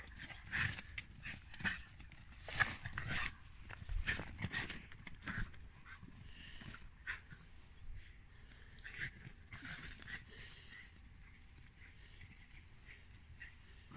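A Shiba Inu makes rough, breathy play noises in short, irregular bursts.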